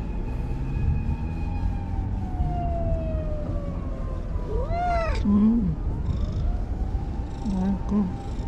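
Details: Anko, a brown-and-white stray cat living by a lake in Japan, gives a short arched meow with stacked harmonics about midway, then softer chirpy sounds near the end, over steady low traffic-like rumble and a long falling tone.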